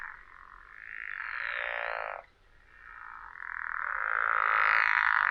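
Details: Low, rasping pickerel frog call played through a speaker, compared to rubbing a saw's teeth and unlike a bullfrog; two drawn-out snoring calls, each about two seconds, with a short gap between them.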